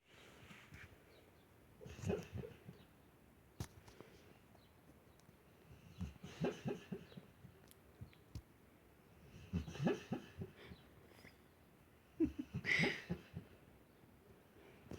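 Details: A pet dog sleeping indoors snores in soft, breathy, rasping bursts recurring every few seconds, with quiet gaps of room hush between breaths.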